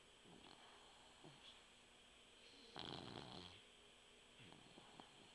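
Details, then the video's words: Puggle named Mugzie snoring while asleep indoors; one loud, rough, breathy snore near the middle, with fainter, softer snuffling breaths before and after and a steady faint hum in the background. "when puggles sleep they snore"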